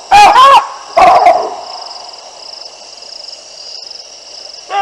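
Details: Baboons barking as two lionesses pass beneath their trees at the Olifants River, 9 December 2022: two loud, harsh, harmonic barks close together, the second followed by a short trailing call, then a steady high hiss of insects.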